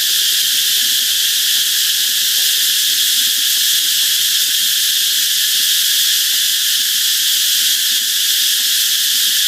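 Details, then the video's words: Canal-side cicadas in the Mekong Delta give a constant shrill, hissing buzz with no breaks or pulses, level and loud for the whole stretch, over a faint low rumble. "Mekong Delta: Cicadas in the canal"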